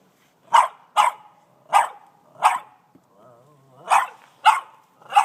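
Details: Young Boston Terrier, 18 months old, barks excitedly at a snow shovel; two pairs of sharp barks, a short quiet gap with a faint wavering whine, then three more rapid barks, filmed on an iPhone.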